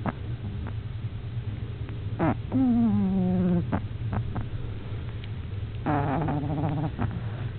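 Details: Snoring from Luxe, a French Bulldog puppy eight weeks old: two drawn-out wheezy breaths with a falling pitch that flattens into a humming tone, plus faint snuffles in between, over steady low background rumble.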